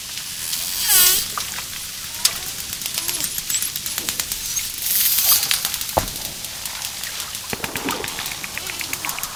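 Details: Dolphin whistle: a brief curved, harmonic-rich squeal near the one-second mark over a steady train of sharp clicks, with a second noisy high burst midway and scattered crackling throughout.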